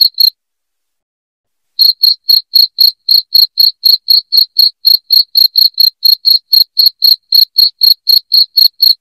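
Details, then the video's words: Shrill cricket chirps meant to scare off household rats: one chirp, a silence of over a second, then a long, evenly paced series of crisp high chirps at about four each second. "SUARA JANGKRIK NYARING"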